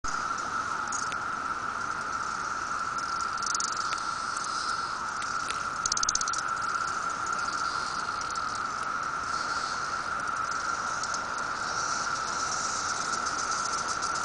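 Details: Swarm of 17-year periodical cicadas on a tree in Riverside, Illinois, near Chicago, June 15, 2007: an unbroken droning chorus holding one steady pitch for the whole stretch, with a hissing, higher buzz flickering above it.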